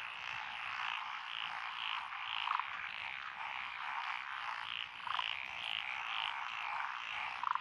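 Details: Rice-paddy frog chorus among lotus fields on a rural road in Fukui Prefecture, Japan, June 2021; rhythmic, overlapping pulsed croaks forming a rolling wall of sound, with three brief louder calls near 2.5, 5 and 7.5 seconds.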